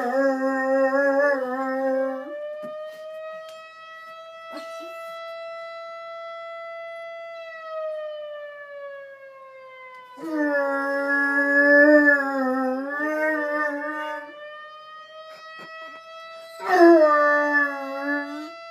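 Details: Ralph, a 4-month-old dog never taught to howl, howls along with a fire alarm: three bursts of wavering, harmonic-rich howls over a steady, slowly gliding alarm tone, with some music and a soothing voice.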